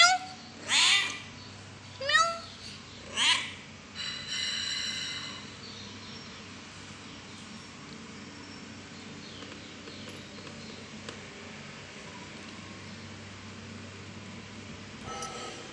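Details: Kittens meowing, described as angry: three loud, short, bending meows in the first four seconds, then a longer, softer sound and a steady low hum for the rest.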